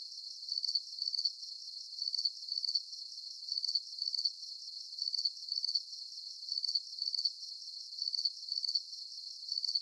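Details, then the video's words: Night chorus of crickets beneath a full moon, giving bright, high-pitched pulsed chirps in paired bursts at an even pace, roughly one burst per second, over a quiet background. "Звуки природы Ночь Сверчки"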